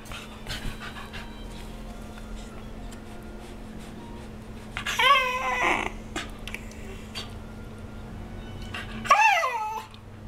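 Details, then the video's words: A pet dog that 'talks' indoors, giving two drawn-out, wavering, whiny vocal bursts about four seconds apart over a low steady hum. "Olly the Talking Dog!"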